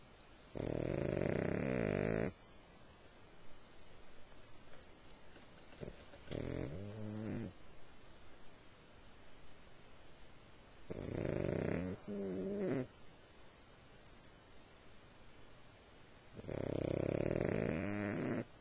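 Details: A sleeping dog snores rhythmically, with rasping, buzzing snores recurring roughly every five seconds, some doubled, and quiet breaths in between against a low hiss.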